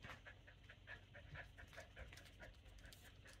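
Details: Domestic German Shepherd begging for food a little before dinnertime: steady, rapid panting with short, soft high whimpers dotted through it, in a quiet room.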